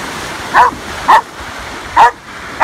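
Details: Four sharp single barks from a Belgian Malinois rescue dog, spaced irregularly about half a second to a second apart, over a quiet background.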